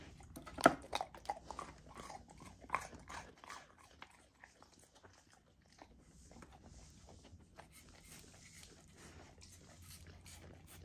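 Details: Golden Retriever puppy eating a frozen raw food dinner indoors: sharp crunches and bites in the first few seconds, then quieter wet licking and chewing with low background hum.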